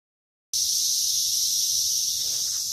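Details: Cicada calling outdoors during grass cutting: after half a second of silence, a loud, steady, shrill buzz begins and holds without a break, with faint low rumbles beneath.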